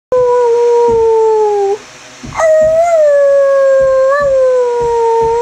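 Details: Greyhound named Chevelle giving a drawn-out roo: two long tonal howls, the first gently falling and fading, the second starting with a sharp onset then sliding slowly downward, steady and clear indoors.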